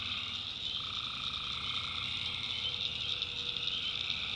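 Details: Tree frogs in a North Carolina backwoods swamp at night, a continuous layered chorus of trilled calls with one voice joining after a second, over a high constant cricket drone.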